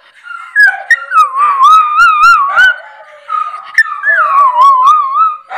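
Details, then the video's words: Maya the miniature Schnauzer gives a quavering, undulating howl that rises and dips rapidly, interrupted by sharp hiccup yelps, while other dogs add a lower, steady howl beneath. "Howling Schnauzer"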